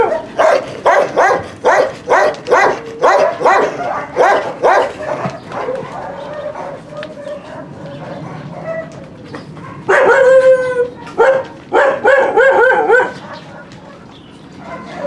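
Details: Barking at a husky kennel where the dog Trigger trains recall from free play: a run of sharp barks about every half second, then a lull, then higher, tonal yelping barks in a cluster.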